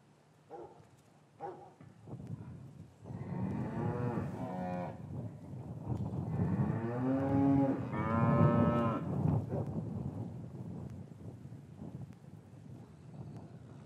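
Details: Cattle lowing in an English farm yard on a winter afternoon after calves were separated from their mothers: long, drawn-out harmonic moos rising and falling, several overlapping, with short quieter calls at the start, recorded with a matched microphone pair.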